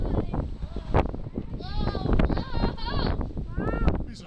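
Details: A walrus at the Brooklyn Aquarium, outdoors in cold weather, answers a man talking to it with wavering, bleat-like harmonic calls, partly overlapped by people speaking; it seems to call a second walrus over.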